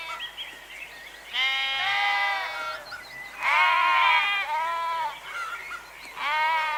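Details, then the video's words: Sheep bleating against a faint noisy background: three strong harmonic baas about every two seconds, with a quieter, higher cry at the start. "Ovelhas - Som da Ovelha - Ovelha Berrando"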